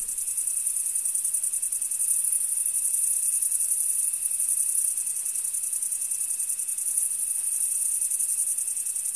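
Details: A dense chorus of crickets in a field gives a high, shimmering trill that runs on without pause.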